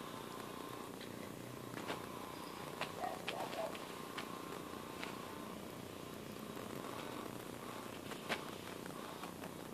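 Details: Domestic cat purring softly: a low, steady rumble under a constant hiss, with a few faint clicks and rustles scattered through.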